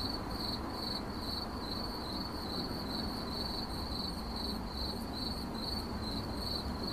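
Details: Continuous cricket chirping in 8D audio, high metallic pulses repeating about twice per second with a faint upper overtone, set against steady low-frequency background rumble.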